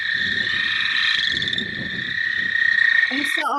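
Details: A leopard frog, a vernal-pool amphibian, gives its snore call, a low, rattling run of rapid pulses over a steady higher hum.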